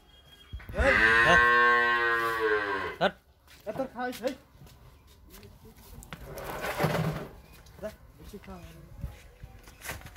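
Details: In Pabna, Bangladesh, a Friesian heifer calf up for sale lets out one strong, resonant two-second moo, followed by scattered clattering, shuffling and a muffled low voice-like murmur.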